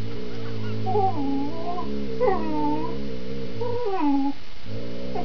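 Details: Critically ill dog growling while playing tug with a smaller companion dog, fierce-sounding but playful, tail relaxed; a continuous low rumbling growl with higher squealing, whining notes overlaid, briefly broken near the first and fourth seconds.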